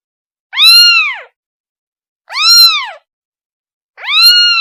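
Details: Kitten calling its mother: three clear, high meows with rich harmonics, each rising then falling in an arch, spaced about every two seconds against a silent background.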